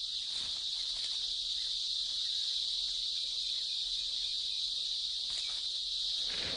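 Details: Cicadas in the wild, a tree hosting about a hundred, males singing so loudly it repels birds; a steady, monotonous high-pitched buzzing din, unbroken throughout, as females pick out a suitable male's song.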